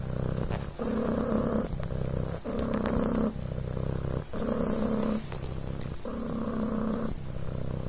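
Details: Coco, a Devon Rex kitten, purrs while lying on a blanket: a rhythmic rumbling hum, loud and close, rising and falling with breathing roughly every 1.2 seconds, with light rustles in between.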